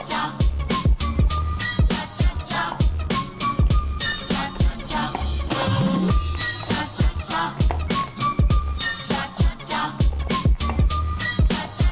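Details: Upbeat funk-style music with a steady, thumping beat plays throughout, with no animal voice standing out.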